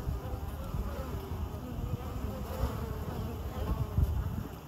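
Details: A wild honey bee colony nesting in the hollow of an ancient Osage orange tree along the Swamp Rabbit Trail, Greenville, South Carolina, in 2023: a low, steady, layered drone as foragers come and go carrying pollen.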